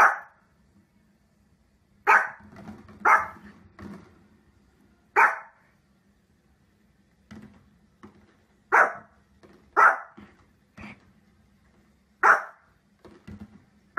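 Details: Dog giving single sharp barks at uneven intervals, about eight across fourteen seconds, some in quick pairs, with quieter yips and a steady low hum in the background.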